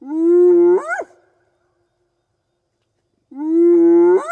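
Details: A spotted hyena gives whoops by night in African bush country, keeping contact with its clan across distance: a sustained hollow tone rising abruptly at the end, then a pause of about two seconds before the next whoop begins.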